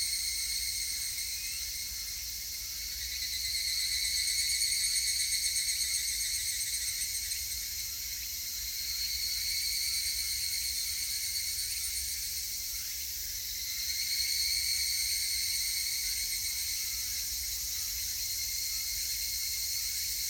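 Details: Higurashi cicada recorded on 19 August 2018: a high, metallic trilling chorus swells and fades in three waves, over a constant high buzzing insect drone.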